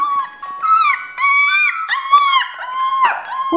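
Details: Energetic male Siberian Husky puppy, grey-and-white with blue eyes, born 22 January 2019 in a kennel; sustained wavering howls and whines, sliding up and down in pitch across about five phrases, with faint speech.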